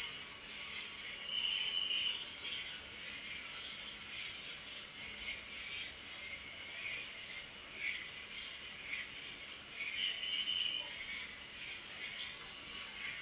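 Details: A nighttime cricket chorus makes a bright, high-pitched, ringing drone that pulses evenly throughout, with brief, faint, lower whistled tones now and then.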